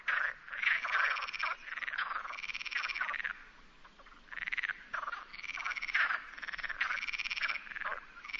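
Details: Several Perez's frogs (rana común) call in the Sierra de Barbanza, Ría de Noia. Harsh, cackling croaks come in bursts of about one to two seconds, overlapping, with brief lulls between the groups.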